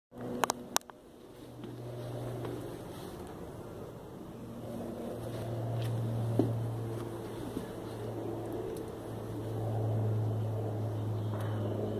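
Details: A steady mechanical hum like a motor or fan drones throughout, with a few sharp clicks and faint handling knocks, and no animal voice.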